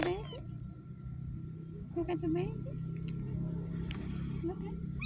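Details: Street cat meowing: a short, loud rising-then-falling mew at about two seconds and fainter mews near the end, with a person talking throughout over a low rumbling background.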